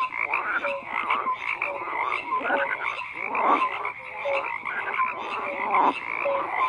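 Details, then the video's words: Dense frog chorus of rough, rattling croaks, with brief clear tonal notes popping out every second or so above the constant overlapping calling. "FROGS CROAKING"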